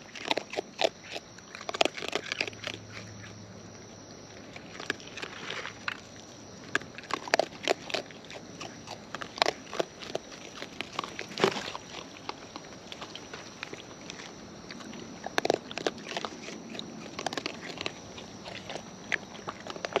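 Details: Raccoons in the wild chewing food close up: continuous crackly crunching with irregular louder snaps throughout, briefly joined early on by a soft low hum, all over a quiet outdoor background.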